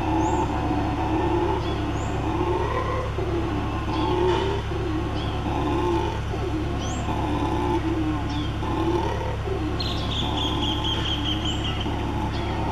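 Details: A black-and-gold howler monkey (Alouatta caraya) roars in deep, guttural pulses that swell and fade every second or two over a constant low rumble, with a few thin bird chirps and a falling whistle near the end.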